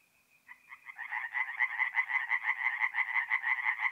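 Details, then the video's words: Night chorus of tree frogs at a forest pond in north-east Italy in April; after a near-silent start, a rasping croak series builds up quickly into fast, evenly spaced pulses roughly three per second. "relaxing forest pond by night with singing tree frogs"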